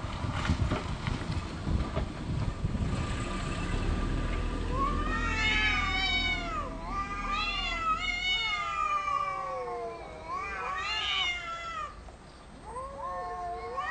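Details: Two cats arguing about territory, no physical fight: after rumbling low background noise, a series of rising and falling yowls trade back and forth, each swooping wail repeated in quick succession.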